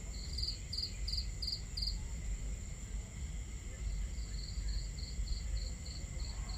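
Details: Under a starry night sky at a camp, crickets sing in short high pulsed chirps, a louder nearby run at first, then fainter regular chirps, over continuous low fire crackle and water noise.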